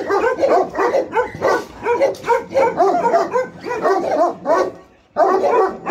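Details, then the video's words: Guard dogs of the Alabai and Tibetan Mastiff breeds from Pogoanele, Buzău, Romania, giving a steady stream of hoarse overlapping barks for about five seconds, then a short silence before barking resumes. "Alabai & Mastiff Tibetan Guard BFR-Dogs"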